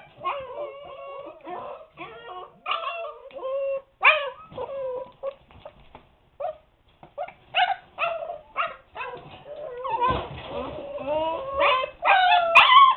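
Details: Husky pups aged seven weeks calling from a puppy pen indoors; a string of short yips, whimpers and small barks at irregular intervals, several voices overlapping, louder and busier toward the end.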